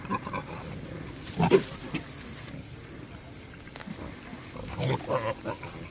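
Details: Wild boar, male pursuing a female in natural surroundings, producing scattered low grunts and brief squeaky calls, loudest in a cluster near the start, then quieter grunting.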